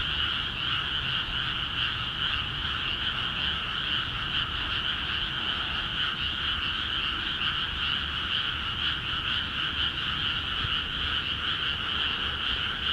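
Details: Rice fields in Akiha Ward, just flooded, alive with vigorous frog calling; countless overlapping croaking trills blend into a constant buzzing chorus with rapid uneven pulsing and faint low background noise.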